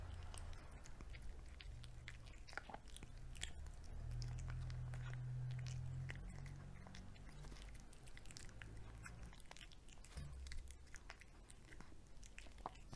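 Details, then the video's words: A pet cat eating wet cat food indoors, with soft, rapid wet chewing and biting noises repeating several times a second, low thuds and faint smacking clicks throughout, steady and close. "ASMR CAT - EATING"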